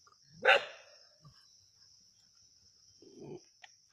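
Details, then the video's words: Native dogs hunting a snake in Keezhadi: one explosive, harsh bark, then near silence and a low, muffled growl-like sound near the end, over a constant high whine. "கீழடியில் நாட்டுநாய்களின் பாம்பு வேட்டை"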